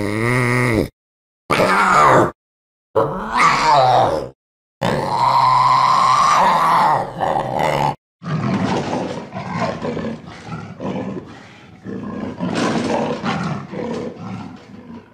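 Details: Panther giving harsh, rasping roars and growls in several short bursts separated by abrupt silent gaps for the first eight seconds, then a longer rough, noisy snarling stretch with rising and falling intensity.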